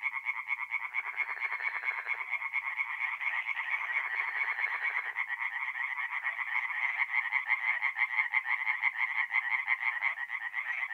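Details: Many tree frogs calling together at night at a forest pond, north-east Italy, in mid-April; a steady stream of quick, harsh croaks, about three per second, with fainter frogs layered beneath.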